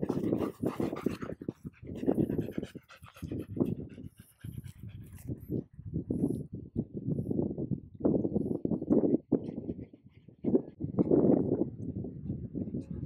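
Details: Golden Retriever reunited with its childhood friend, a Border Collie, after a long time apart; two dogs breathe in quick, heavy panting bursts with snuffles, broken by short pauses, and a faint human voice is heard near the start.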